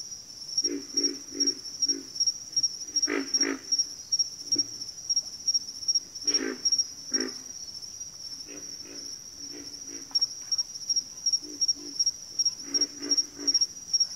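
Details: Backwater frog chorus of low, throaty grunts, often in quick pairs or runs, scattered irregularly across the recording beneath a constant shrill, pulsing insect trill.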